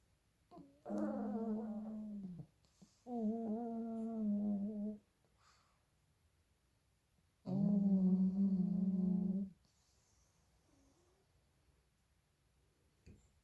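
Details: Two pug puppies sleeping and snoring very loudly indoors: three buzzy, humming breaths of about two seconds each, the first pair close together, then a long quiet stretch.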